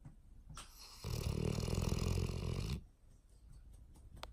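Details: Stella, an 18-month-old English Mastiff sleeping on a lap, lets out a long, deep, rattling snore lasting nearly two seconds, with quieter breathing before and after.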